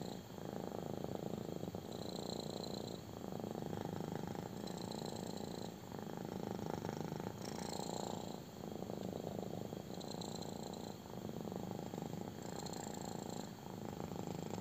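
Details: Rhythmic purring from a kitten receiving a belly rub indoors, low rough rumble swelling and fading in regular cycles about every two seconds, with light handling noise.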